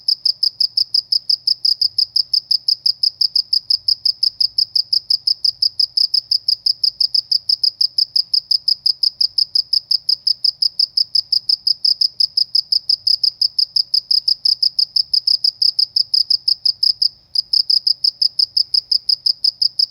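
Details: Cricket chirping in the countryside, a steady high-pitched pulsed chirp repeating about three times per second without pause, one brief break near seventeen seconds, faint low hum beneath.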